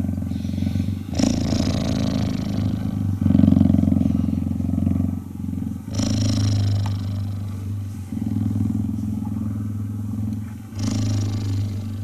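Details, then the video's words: Cheetah purr during cuddling, a throbbing low rumble rising and falling with each breath, interrupted by several short broadband rustling bursts. "Cheetah Cuddling & Purring"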